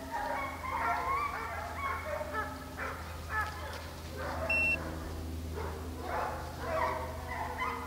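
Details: Deer hunt at St Helena, South Carolina, with a pack of hounds in full cry on the trail. Wavering, bawling bays rise and fall over a constant low motor drone, and a single electronic beep sounds midway.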